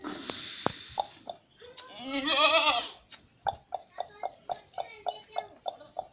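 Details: Heavyweight goat at a goat farm in Sindhipura, Pipar City, Jodhpur, Rajasthan, where pink-skinned goat kids are kept; one loud, wavering, nasal bleat of about a second, then a series of sharp regular clicks and taps.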